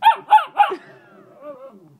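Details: Dog 'talking' in response to its owner: three quick, harmonic, rising-then-falling yowls, followed by a softer, drawn-out whining tail. A person's voice is heard just before.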